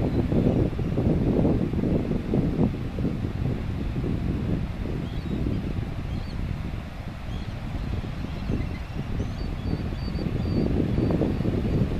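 Steady wind buffeting the microphone, a deep rumble with no clear animal voice.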